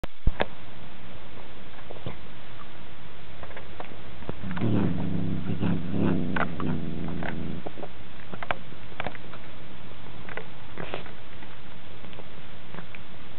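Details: Sardonicus, a cat that growls constantly, even while eating: a low, rumbling throaty growl swelling for about three seconds midway, surrounded by sharp clicking and chewing-like ticks.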